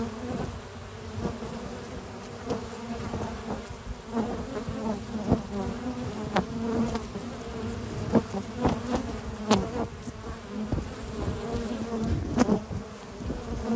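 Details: Many honey bees, hard-working foragers hauling in pollen of at least six types on a spring morning, make a continuous low hum at the hive, broken by frequent clicking taps and short nearby buzzing surges.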